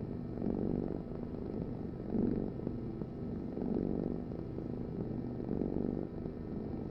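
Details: Rhythmic purring from a domestic cat: a throaty low drone whose intensity peaks roughly every second and a half, inhale and exhale alternating in an even cycle.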